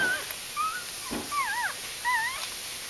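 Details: Days-old puppies from the G litter of the mother dog Aris, early October 2012, let out clear wavering whimpers that dip and rise in pitch, a few short squeals spaced about half a second apart.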